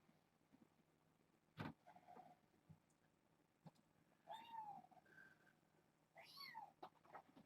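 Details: Young kittens of a rescued stray mother, Nala Se, in a foster room, playing with a microfiber towel; two short rising-falling meows with clear harmonics, a few seconds apart, between a thump and a woman speaking to them.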